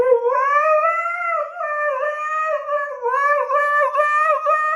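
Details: Dog in a funny pet compilation howling in a long, clear, sustained wail. The pitch rises and wavers, pauses briefly, then resumes with a wobbling, sing-song tone, with no other sounds.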